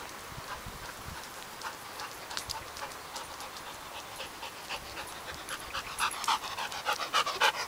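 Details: Max, a pet dog, tries out his new ball throwing device in August 2008, panting in quick breathy huffs, roughly three or four per second, that grow louder and more forceful toward the end.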